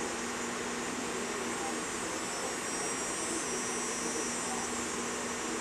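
Cicadas keep up a steady, unbroken, high-pitched electric drone.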